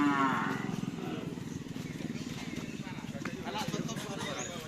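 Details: Cattle at a karapan sapi bull race training session at the Asemanis field in Pamekasan, with team Singo Barong present; one short, low, harmonic moo opens the clip, followed by a steady rumbling background hum and faint distant voices.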